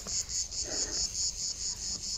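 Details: Hot-weather cicada chorus in the Landes, France, during a countryside stroll; an intense high-pitched rasping buzz throbs in regular pulses, while a faint low murmur rises briefly under it.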